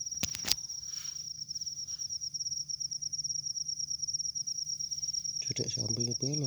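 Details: Cricket in a rice field where many crickets are said to be, giving an unbroken high, rapidly pulsed trill; sharp clicks at the start and a man talking near the end.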